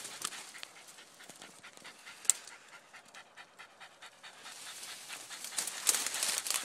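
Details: Jack Russell/fox terrier outdoors while hunting a groundhog, panting in rapid, irregular breaths with rustling throughout and brief sharp clicks.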